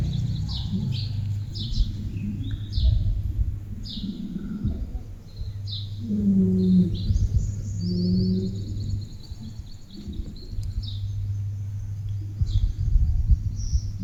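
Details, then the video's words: Ganga, a pet village cow, vocalising toward her owner: two low, drawn-out moaning moos, each under a second, near the middle, amid frequent high chirping birds, a steady low hum and brief human speech. "My Pet Cow Ganga Talking! 🐄 Funny Cow Sounds"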